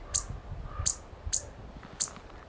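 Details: On the Chief Mountain Trail, Colorado, on 17 September, a chipmunk raises an alarm with four sharp, very high chips about half a second apart over a low rumble of wind; it was first taken for a squirrel.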